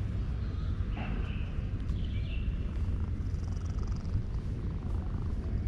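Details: Male cat purring loudly while being petted, showing satisfaction: a steady, deep, continuous rumble throughout, with brief faint high chirps near the start.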